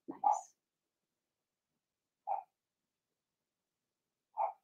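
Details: Cavalier King Charles Spaniel puppies, Blenheim litter of six, two girls and four boys, in a home puppy pen; a brief squeaky yelp opens, followed by two lone short yips about two seconds apart amid silence.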